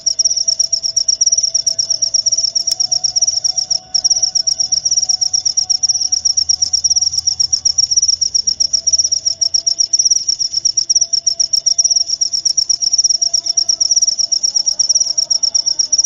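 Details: Cricket chirping meant to chase off rats, a long unbroken run of high, rapid, metallic pulses, with a faint wavering lower tone beneath.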